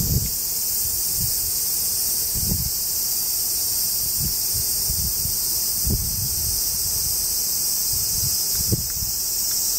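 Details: Japanese cicada chorus along the Tokai Shizen Hodo trail, in woodland below the Yoro Mountains en route to Sekigahara: an unbroken high, hissing buzz fills the whole stretch while a hiker's footfalls thud regularly underneath.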